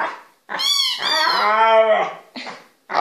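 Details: Indoor dog 'talking' to its people: a long, drawn-out, moaning, howl-like utterance that bends in pitch, followed by a shorter yowl, with a person's exclamations just before and after.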